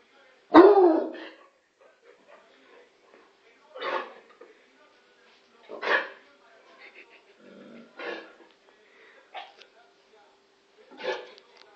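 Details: Bloodhound barking at the television indoors: a loud first bark, then several softer, spaced barks and muffled woofs over about twelve seconds, with faint background sounds between them.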